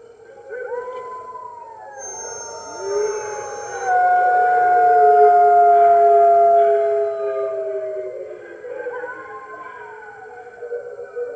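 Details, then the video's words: Webcam recording from the NY Wolf Conservation Center on the morning of March 15, 2013, as red wolves join the rest of the center's wolves: loud layered howls, long smooth tones gliding downward, one voice rising high briefly, peaking mid-chorus. "Red Wolves Howling - Early Morning"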